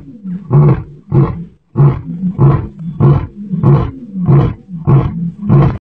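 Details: A lion in Aberdares National Park, a young one near its father, gives a series of deep, booming, grunting roars, repeated about every two-thirds of a second.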